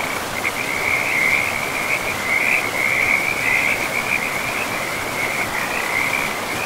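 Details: Frogs calling beside a river in a pristine forest with moss-covered ground: a steady trilling chorus, a dense continuous band of high rapid pulses that swells and fades slightly, over a broad wash of flowing water.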